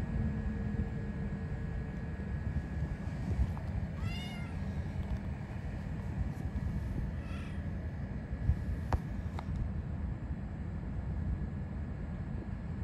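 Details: Stray cat with a Pikachu-like tail, met again after a long time, wagging its tail, rolling over and headbutting; two short rising-falling meows, about three seconds apart, over a steady low rumble, with a few faint clicks afterwards.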